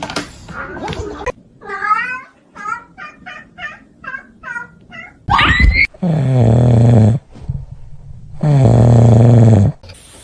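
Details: Kitten giving a quick run of short, high, repeated meows, about one every half second, then two long, loud, low rumbling bursts.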